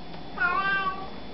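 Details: Pet cat answering "hello" with a short meow of about half a second, rising slightly then easing down, over a steady low background hum indoors.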